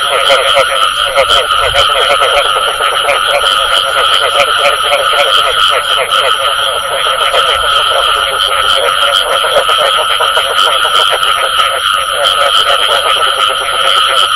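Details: Frogs calling, with the 'bù tọt' sound named in Vietnamese: a dense, unbroken chorus of overlapping nasal croaks and rapid pulsing notes, with a steady thin high whine running throughout.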